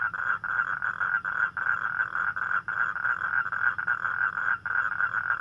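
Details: Night chorus of toads calling for mates on a rainy night: a dense, unbroken droning trill with only brief dips, many overlapping voices blending into one continuous buzzing wall of sound.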